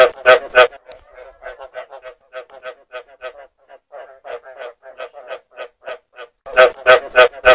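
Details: Frog calls meant for luring frogs: loud bursts of four or five harsh, harmonic croaks open and close the clip, with a steady run of softer, evenly spaced croaks, about three per second, in between.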